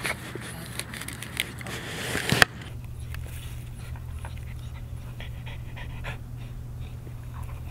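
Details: Labrador Retriever puppies playing with a mesh bag, heard indoors: after a burst of loud scuffling, quick breathy panting runs on in soft repeated puffs, over a steady low electrical hum and light rustling.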